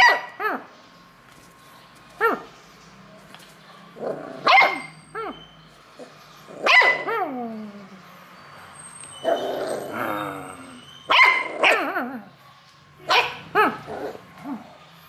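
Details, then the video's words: Playful beagle puppy reacting joyfully to play calls, giving repeated harmonic barks and yelps with sliding, falling tails, spaced irregularly every one to three seconds, some clustered in quick pairs; quiet room otherwise. "A Real Happy Beagle Pups named Dory Joyfully Reacts to Play Calls"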